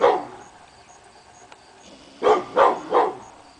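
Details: Pit bull named Hemi Bleu barking at nothing one morning, August 22, 2012: after a second of quiet, three sharp barks in quick succession, each about a third of a second apart.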